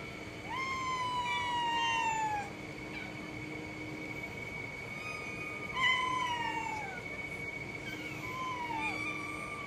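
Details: Cat meowing: one drawn-out meow that rises quickly and then slides slowly downward, followed by two shorter falling meows a few seconds apart, over a steady high-pitched whine and faint chirps.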